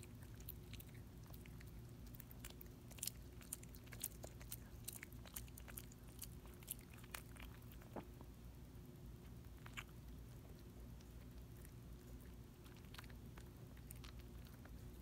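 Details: Small dog chewing and licking a Dentastix dental chew in a quiet room: soft, irregular crunching clicks and wet bites over a low steady hum, with a few sharper cracks midway.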